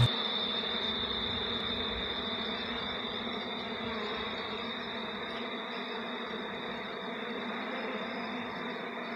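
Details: Swarming honey bees at Jamaican bee hives while a man plays with them barehanded, fingers among the insects; continuous thick buzzing drone with a faint high whine throughout, no voices.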